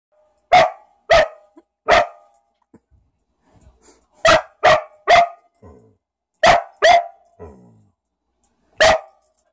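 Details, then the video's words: A dog barks in loud, sharp bursts, some in quick pairs, with pauses between. It is barking at a switched-off heater after discovering that its bark echoed inside the heat outlet. "Dog barking at heater"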